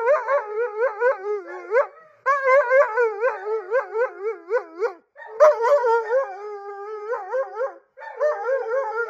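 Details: Blue the husky, wanting more attention, voices a yodelling, talkative howl: bouncy phrases of rapid pitch wobbles, each burst lasting about two seconds, separated by short breaks.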